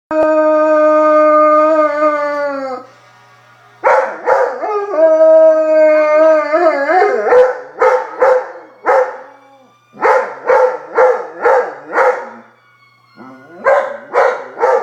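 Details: Bruno, a black Labrador Retriever, howling at fire trucks: two long, steady, slightly falling howls, then a quick run of short, wavering yelping howls repeated about twice a second, with a brief quiet gap before the last burst.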